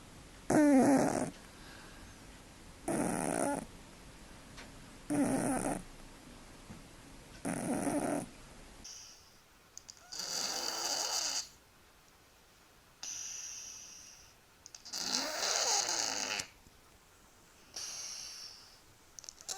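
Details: Snoring from sleeping cats, steady rough breaths roughly every two seconds; the first stretch is lower and buzzier, and the second is airier and hissing, with a whistly edge.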